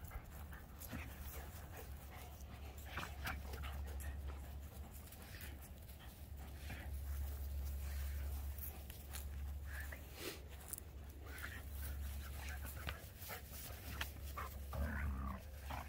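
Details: Keeshond Voodoo and Greyhound Tasha at play, pulling a tug ball between them on 3/21/2021; fast rhythmic panting about four breaths a second, scrabbling and thumps, faint background hum throughout.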